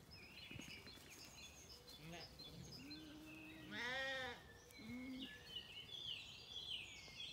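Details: Morning on a County Kilkenny farm in Ireland where Zwartbles lambs search for their mothers; several bleats, one loud harmonic-rich cry in the middle, among busy birdsong and faint background noise.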